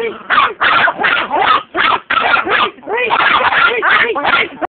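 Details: Shrill Chihuahua barks tumble out in fast, ragged clusters, some doubled or run together, high and rasping, continuing without letup until cutting off abruptly at the end.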